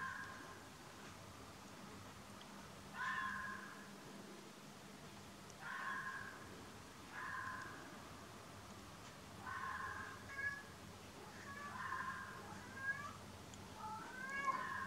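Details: Fox calling on a misty night by a train line, recorded with a Nikon P900: short harsh, wavering cries come in bursts every two to three seconds, growing more broken and rising near the end, over a steady low hum.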